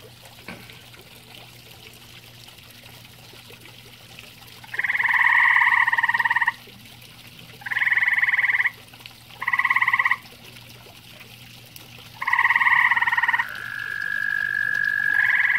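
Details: At a pond shared with common toads, a grey tree frog repeats pulsed trills of one to two seconds with short silent gaps. A steadier tonal call swells near the end.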